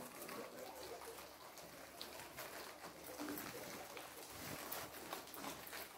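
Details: Guinea pigs munching kohlrabi make a soft stream of rapid crunchy clicks and crackles.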